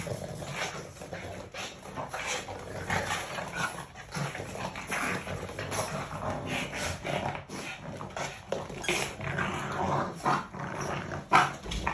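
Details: Two Boston Terrier half-sisters play in a garage during Maine's mud season, giving short yaps, low growls and whimpers amid scuffling and thumping.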